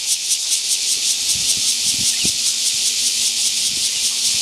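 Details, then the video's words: Cicada call, a continuous dense high-pitched buzz with faint rapid pulsing throughout, steady in loudness, with a few soft low knocks and a faint low hum underneath. "Cicada call, 蟬叫聲"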